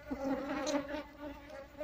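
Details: Asian honey bee colony nesting in a hollow log, disturbed as beekeepers move it after removing all the combs and try to coax the queen out of the wood's crevices; a steady, low, droning hum with layered overtones throughout.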